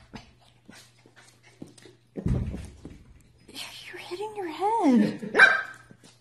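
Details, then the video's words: Pembroke Welsh Corgi puppies indoors: after a soft thump, a wavering, tonal whine slides up and down in pitch for about two seconds, ending in a brief higher yelp, with human voices faintly in the background. "Awesome Corgi Pups"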